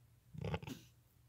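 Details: Newborn lambs under five hours old, born that day and nursing with their mother, give a short harmonic cry lasting about half a second over a low steady hum.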